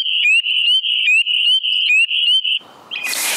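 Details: Spring peepers in a Michigan wetland in spring give clear, high, chick-like rising peeps, many overlapping in quick succession. These are mating calls, given from early spring until June and often after rainstorms.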